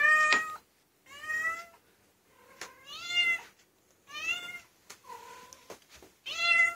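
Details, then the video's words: Female domestic cat meowing indoors in reaction to a high-pitched harmonica, as she does whenever her owner plays a high instrument, sings or whistles; six long harmonic meows, several rising then falling, about one a second, in a quiet room. "Cat vs. Harmonica"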